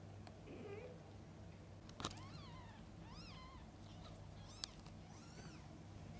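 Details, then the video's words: Domestic mother cat feeding and bathing her kittens; thin, high, arching mews rise and fall, about four of them spread over six seconds, with a soft click and a steady low hum underneath. "Mother cat feeding & bathing kittens: sounds of pure love."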